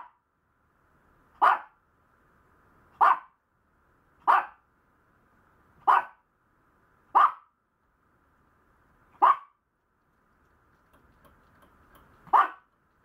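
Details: Maltese puppy barking: seven sharp, clipped barks spaced roughly one to two seconds apart against a near-silent background, the gap widening toward the end.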